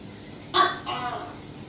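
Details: One call from a tokay gecko stalking prey: a sudden sharp syllable, then a softer, lower, drawn-out second note with rich harmonics, against a low steady hum.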